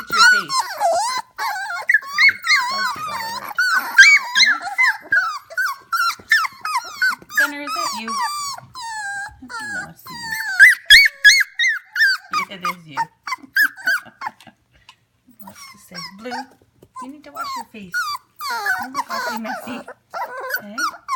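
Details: Litter of 25-day-old F1 Goldendoodle puppies at home at 11 pm, keeping up a busy chorus of overlapping squeaky whines and yelps, wavering up and down, with brief pauses and faint voices in the background.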